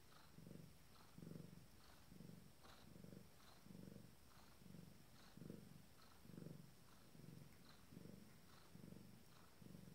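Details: Abyssinian queen with her first litter, minutes from giving birth, producing a deep, steady purr: roughly twelve pulsing rumbles in ten seconds, each rising and falling with her breathing, the room otherwise quiet.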